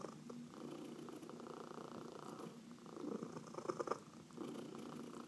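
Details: Domestic cat purring while being massaged indoors, one of four household cats including adopted senior cats; steady low rumbling purr with soft rhythmic pulses, swelling louder near the end, faint rustling of hands on fur.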